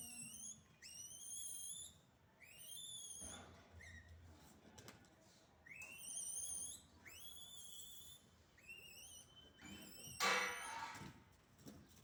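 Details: Naughty monkeys in a rural village give high, whistled calls. Each call rises steeply, then holds a flat, ringing tone. The calls come in repeated bursts with short gaps, and a sharp noise flares near the end.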